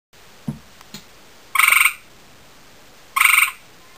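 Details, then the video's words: Male gray tree frog calling to a female he has spotted: two loud, short pulsed trills about a second and a half apart, each a buzzy rattle of rapid beats, with a few soft clicks before them. "Male gray tree frog ( hyla versicolor ) calls to female"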